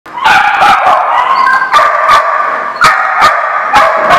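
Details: Dogs barking, dated 12/11/15: dense, overlapping harmonic barks and yelps burst out roughly every half second over a continuous chorus of other dogs.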